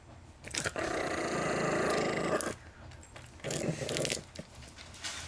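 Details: Chihuahua–Miniature Pinscher cross family dog, possibly mistreated earlier and on his third or fourth owner, guarding his peanuts indoors: two sustained rough growls, the first about two seconds long, the second shorter, with clicks and rustling between.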